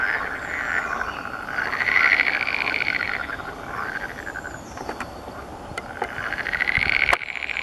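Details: Water frogs at their breeding gathering give loud, rapid, rattling croaks in long drawn swells, one rising to a peak then fading, with overlapping neighbours, thin distant bird whistles and a few clicks.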